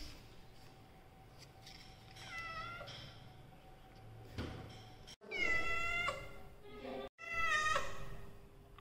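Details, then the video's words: Pet Persian cats indoors: a soft wavering meow, then after a pause two louder, clearer meows with a bright tone and a slight fall, spaced about two seconds apart, over faint background hum. "Persian cat vlogging"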